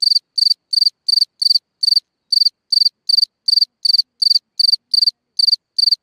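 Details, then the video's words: At night, a cricket calls from a hole in the ground with bright, high pulsed chirps, sixteen of them in six seconds, each a tight cluster of rapid ticks separated by brief silences. "Watch and Listen a singing Cricket (Chirping sounds, Hole in the ground, Night Ambient Sounds)"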